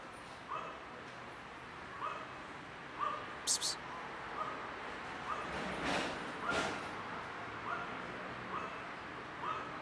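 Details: Short, clipped meows from a cat with a broken leg that still gives love, about one or two per second in an uneven series, with a couple of sharp clicks and a soft hiss behind.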